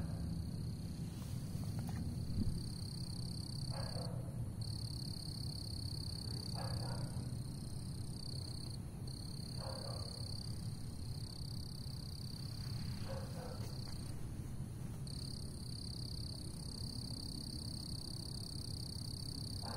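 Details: A frog perched on a shoe and said to be trying to attack calls in brief harsh croaks every few seconds, about five in total, while insects hum steadily at a high pitch behind it.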